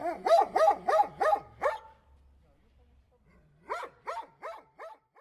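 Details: Dog barking in two bursts: five quick rhythmic barks, a short pause, then five more barks that soften and fade toward the end, each bark sharp with a rising-falling contour; faint low hum under the first burst.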